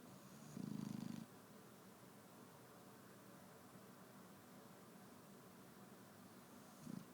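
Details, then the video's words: Shar Pei dog snoring in the morning: one low, rattling, pulsed snore lasting about half a second, then the brief start of another near the end, with steady quiet room hiss between. "the snoring shar-pei"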